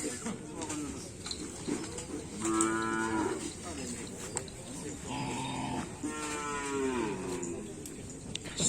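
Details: Cattle of the Paku Alam karapan sapi bull-racing team low within a noisy outdoor crowd. Several drawn-out moos with sliding, wavering pitch stand out over a constant roar of voices and background music.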